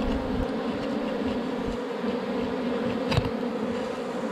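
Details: Dense humming of a wild honey bee colony from a rock-sheltered forest hive rich with honey, an unbroken low drone with a brighter overtone and one brief sharp click.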